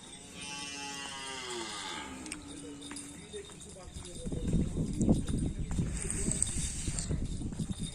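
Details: Madura cattle at karapan sapi bull race training on a field at Asemanis, Pamekasan; a long moo with stacked harmonics bends downward over about two seconds, followed by crowd noise, voices and rumbling from about four seconds on.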